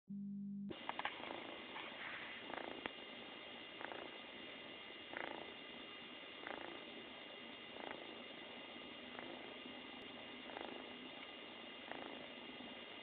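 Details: Happy female kitten purring loudly and steadily, the purr swelling in soft rhythmic surges roughly every one and a half seconds, like slow breaths, with no other sounds.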